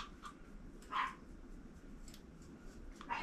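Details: Another dog barking outside while a Pomeranian is groomed: a few short, sharp, slightly distant barks, one louder in the middle; finding: dog.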